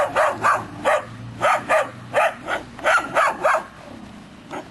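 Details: Groenendael Belgian Shepherd puppies, three months old, reacting protectively to a stranger filming while moving: a rapid run of about ten sharp, high-pitched barks, some doubled, fading into quieter yips near the end.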